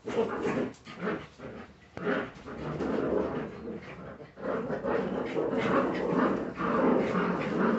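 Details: Litter of Jagdterrier pups kept at a kennel, dense rapid growling and snarling with short yelps mixed in, a sharp click near two seconds, the scuffle building louder toward the end.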